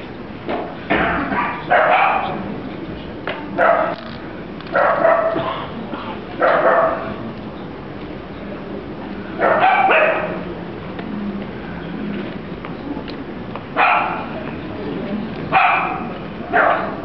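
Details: Dachshund puppy barking repeatedly, about a dozen short, high, clipped barks in irregular bursts, some paired in quick succession, with quieter gaps of low indoor hum between them.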